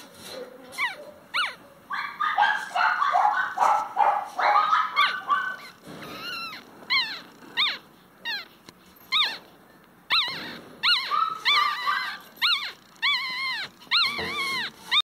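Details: Chihuahua giving a run of short, high, arched yelps and whines, repeated about every half second, with an early stretch of denser overlapping cries before the calls space out.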